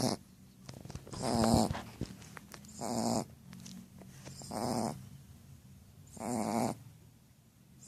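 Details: Female Shar Pei named Pucca snoring while asleep, loud raspy rattling snores about every one and a half to two seconds, each a harsh buzzy burst with a broad hiss on top, with quieter breathing between.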